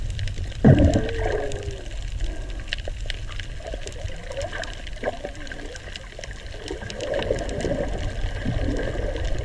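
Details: Humpback whale song recorded while snorkeling above deep coral clefts off the old Mala Pier, Mala Boat Ramp, in silty water. After one sharp splash, drawn-out groaning and wavering moans rise and fall over constant hissing water.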